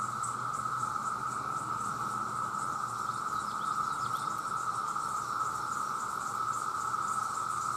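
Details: Male cicadas by the millions cry out for mates, blending into one loud, even, ringing drone that never pauses, topped by a quick fluttering buzz.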